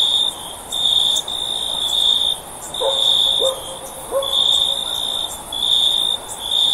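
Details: Cricket for sleep listening: a sharp, high trill pulsing on and off in second-long bursts, while a few faint lower tonal calls from another animal drift in around the middle.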